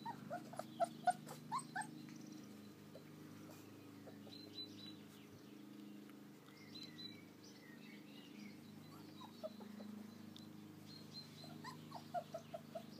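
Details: American Akita puppies playing outdoors in their garden enclosure on a fine day; scattered short high whimpers and yips in bursts at the start and end, quieter stretch in between, steady low hum underneath.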